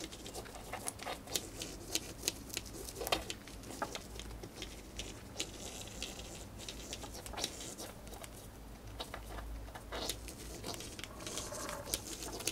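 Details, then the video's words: Pet female hamster rapidly gnawing dried corn indoors, eating it quickly: dense, continuous crisp crackling and tearing patter, many small bites in quick succession, with no other sounds. "My Hamster Eating a Dried Corn"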